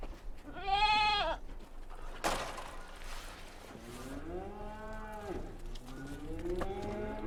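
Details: Young goats at a mountain farm: a clear wavering bleat, a sharp knock, then two lower drawn-out bleats that rise and fall, with light background noise.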